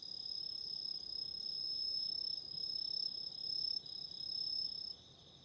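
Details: Autumn insects singing: piercing high trills pulsing several times a second, with a thin whistle-like tone above, breaking off briefly and then fading near the end.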